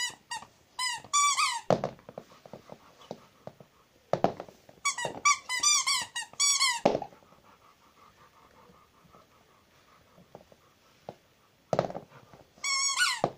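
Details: A pet Rottweiler named Zhenya whimpers indoors in repeated bouts of thin, squeaky, falling whines, several notes per bout, separated by quiet gaps with soft knocks and shuffling in a small room.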